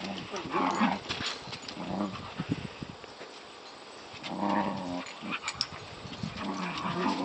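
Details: Two Border Collies at rough play, Match wrestling with the young Maylee, who answers in kind; deep, buzzy growls rise and fade in clusters of a second or so, with rustling and thumping from their tussle between bursts.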